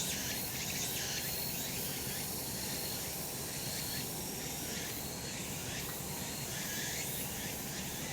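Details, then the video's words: A cicada chorus in sunlit summer mountain country, heard as an unbroken, shimmering high drone with soft rhythmic surges over low environmental noise. "セミの鳴き声 夏の山 日なた"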